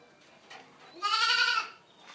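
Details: A single bright, strongly harmonic bleat lasting about half a second from Boer goat kids born to registered dams, rising slightly then holding steady, over a quiet background.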